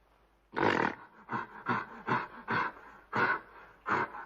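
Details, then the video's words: Gorilla giving a series of six or seven short, gruff, hoarse barks, spaced roughly half a second apart, against a quiet background. "Gorilla Sound Effects"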